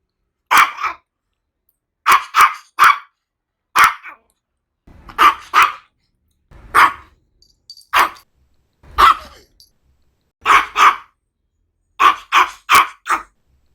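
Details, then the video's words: Small Maltese barking repeatedly: high, sharp yaps arriving singly or in rapid clusters of two to three, roughly every second, clean background without other animals or voices. "CACHORRO MALTÊS LATINDO 🐾SOM DE CACHORRO 🐾 BAKING MALTESE DOG"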